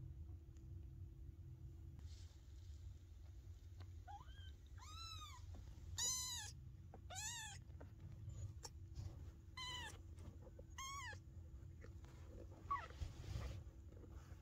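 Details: Maine Coon kittens giving tiny high meows, a handful of short rising-falling cries scattered through the middle, faint against a steady low indoor hum.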